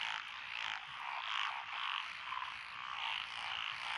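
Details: Frogs calling in lotus rice paddies along a country road in Echizen, Fukui, Japan, 12 June 2021, including Japanese tree frogs, black-spotted pond frogs, wrinkled frogs, Schlegel's green tree frogs and forest green tree frogs. The chorus is dense and continuous, with overlapping rasping croaks.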